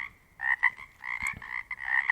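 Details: Pacific chorus frogs of the Pacific Northwest calling in a quiet place, individual frogs distinguishable: overlapping raspy, pulsed croaks in repeated bursts, a few faint clicks mixed in.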